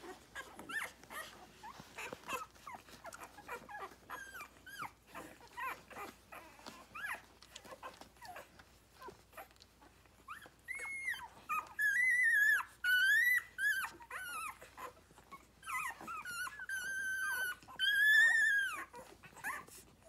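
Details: Six-day-old Rhodesian Ridgeback puppies nursing on their mother, a litter born 9/3/2020; soft grunts and squeaks at first, then loud, arching harmonic squeals and whines clustered in the second half.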